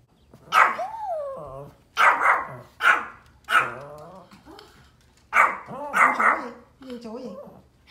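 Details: ['Pomeranian dogs barking at deer outdoors: loud, spaced yaps, some trailing into falling whines, with a cluster of quick barks near the end and a low steady hum underneath.']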